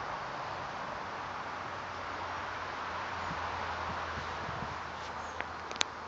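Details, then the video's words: Settled honey bee swarm at a farm, 9 June 2012: a continuous, steady buzzing drone throughout, with a few sharp clicks and light knocks near the end. "Honey bee swarm all settled in at the farm"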